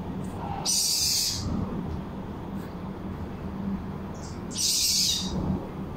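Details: Baby civet, locally called musang, giving two harsh, hissing, high-pitched bursts, each lasting under a second and spaced about four seconds apart, over a steady low background hum.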